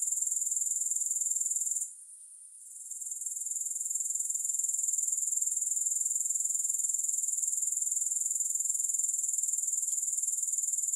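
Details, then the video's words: High, sizzling grasshopper chirring, unaccompanied by music. Its fast regular pulses of about four a second pause briefly near two seconds, then continue unbroken to the end. "Grass Hopper Sounds"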